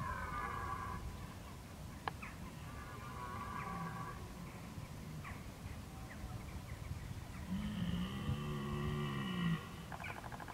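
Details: Red deer in October 2014, bolving while preparing for the rut. A deep, drawn-out, harmonic bellow rises and falls late in the recording over constant low wind rumble, with brief higher harmonic calls and clicks earlier on.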